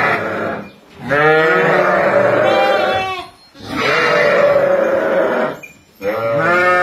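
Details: Flock of ten ewes, some pregnant, with four lambs at Kafr al-Labad, Tulkarm, bleating: three long, wavering, nasal bleats of about two seconds each, separated by brief pauses.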